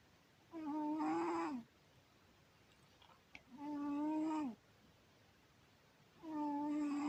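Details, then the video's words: Sleeping house cat Syoma snoring: three even, buzzy-hummed snores of about a second each, evenly repeated every three seconds with faint rustles between, in a hushed room. "Кот Сёма! Сладко спит и храпит!"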